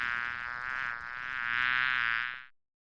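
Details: Wasp buzzing: a steady, even drone with a rich stack of tones, swelling slightly in loudness for about two and a half seconds before stopping abruptly.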